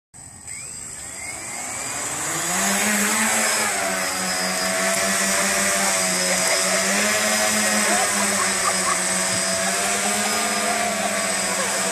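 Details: A quadcopter drone's high whining buzz rises and then holds steady with wavering motor tones, and no animal sound.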